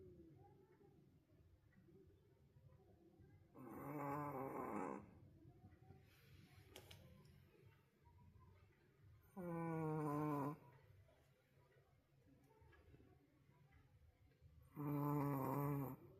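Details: Roku, a sleeping wolf sable Pomeranian apparently worn out, snores at record volume indoors: three loud, rasping, harmonic snores roughly every five to six seconds, each about a second long, with quiet breathing and room hum between.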